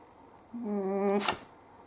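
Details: Young female whippet, 20 weeks, gives a soft, low, steady moaning tone for about half a second, cut off by a sharp sneeze-like burst, in a quiet indoor room.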